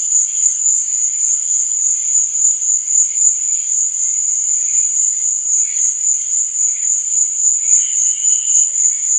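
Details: Crickets after dark: a constant, thin, high trill holds steady while faint lower chirps pulse irregularly beneath, with one short clear tone toward the end.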